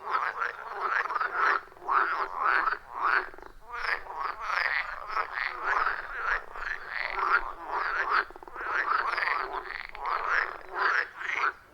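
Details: Loud frog chorus around a wild forest pond, recorded with iPhone 14 Pro plus Shure MV88+; dense, rhythmic rasping croaks repeating nearly twice a second, many callers overlapping without pause, no music or voices.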